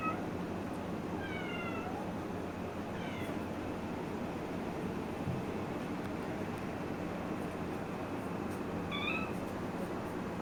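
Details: Playful kittens, four of them said to be naughty and walking over clothes, give thin, high descending meows: a pair of quick cries near the start, another soon after, then a rising-falling mew near the end over steady background hiss.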